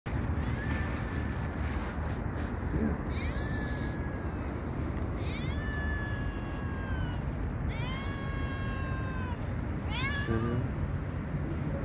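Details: Hungry little cat giving sweet, drawn-out meows: a long level cry, then several falling and arching meows spaced a couple of seconds apart, over steady low outdoor rumble.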